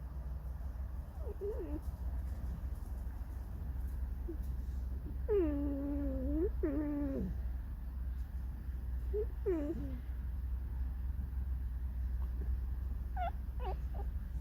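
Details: Pet red fox in a room gives creaky, mournful song-like cries: short whimpers, then two long wavering wails ending in downward slides, followed by brief higher squeaks; steady low hum underneath.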